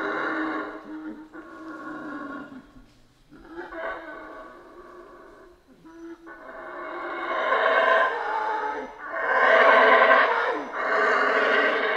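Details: Central American rainforest howler monkeys give an uneven series of guttural roars. Broken grunts and pauses come first, then a louder, long, rolling howl surges and fades twice in the second half.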